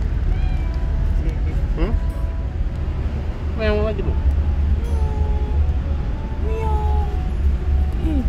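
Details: Confused kitten on its first time outside the house meows repeatedly: a sharp rising cry, a strong wavering meow near four seconds, then softer short mews, all over constant low traffic rumble and brief human speech.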